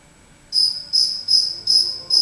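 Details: Lone cricket hiding inside a house, heard after half a second of quiet giving loud, shrill, even chirps at a steady pace, five in about two seconds.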